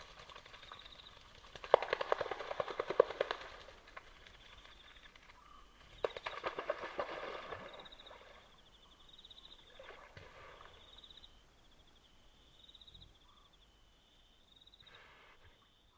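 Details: Hippopotamus calling at night along a river in Kafue National Park, Zambia: two loud, harsh bouts of rapid pulsed grunts a few seconds apart, each dying away, with a continuous high insect chorus between them.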